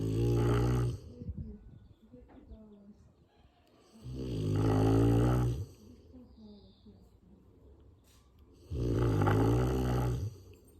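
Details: A sleeping Rottweiler snores indoors: three loud, low, rasping snores about four seconds apart, each lasting one to two seconds, with quiet breathing between them and a voice speaking afterwards.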